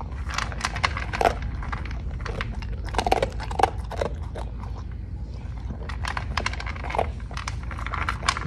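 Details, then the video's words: Clinton, a Cocker Spaniel, eats dog food indoors: rapid crunchy bites and crackling chews in irregular bursts over a low steady hum. "COCKER SPANIEL EATING DOG FOOD"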